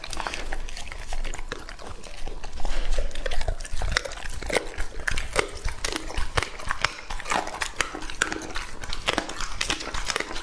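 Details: A two-and-a-half-year-old English Labrador Retriever named Lucky eats raw meat, with wet smacking and chewing. Irregular sharp snaps and crunches sit over low slurping sounds, loudest around the third second.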